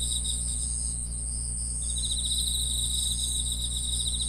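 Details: Chorus of chirping insects, several high trills overlapping, one pulsed trill dropping out briefly then resuming rapidly, above a steady low rumble.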